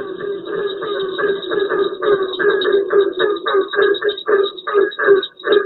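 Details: Barking tree frog, a bumpy, warty-skinned, dark-spotted tree frog named for a call some think resembles a barking dog: hollow, low, doglike barks repeated rapidly, a few each second, in a steady run.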